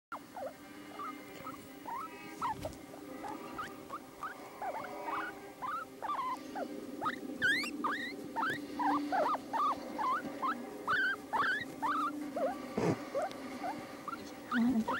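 A guinea pig gives a steady run of short, high squeaks, each sliding sharply up or down.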